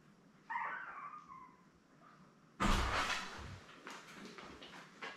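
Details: Litter of seven newborn Labrador Retriever puppies, born May 24, 2021, with their mother Belle on a live puppy cam indoors. A short, high, wavering whine lasts about a second, then a loud knock and rustling follow.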